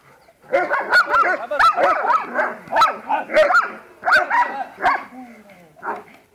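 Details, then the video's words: German Shepherd in protection training, giving rapid, harsh barks with whining, yelping overtones, loud and irregular, about eighty per minute, over a short lead-in. "pastor Alemão"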